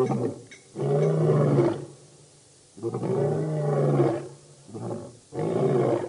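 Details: At a dam in Djuma Game Reserve, Sabi Sand, South Africa, the Birmingham Boys lion coalition roars, August 11–12 2016; deep moaning roars roughly two seconds long alternate with pauses, ending in a shorter grunt and another roar.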